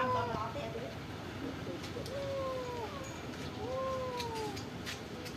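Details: Stray cats living at a pagoda, fed rice and fish, give long falling meows, three drawn-out calls each gliding downward, over a steady background hiss with faint clicks.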